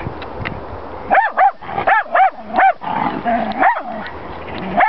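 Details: A Jack Russell Terrier barks at horses: a fast run of about six high, ringing yaps in under two seconds, then a few more spaced barks and a whine-like note, over steady wind noise.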